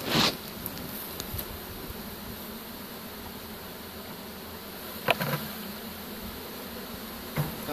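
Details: Captured honey bee swarm about to be dumped from a pole bucket into a hive, March 25, 2015; constant low hum of massed bees with a few loud bangs of the bucket and lid.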